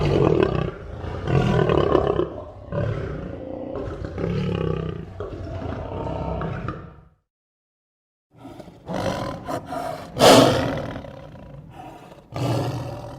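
A lion gives deep, rasping roars in a run of heavy, grunting bursts.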